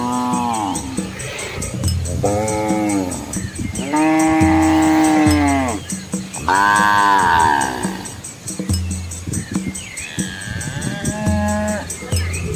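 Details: Asian village cows and their calves walking together along a quiet rural road past green rice fields; a series of drawn-out, arching moos and higher bawls, roughly one every two seconds, over a steady faint background hum and high hiss.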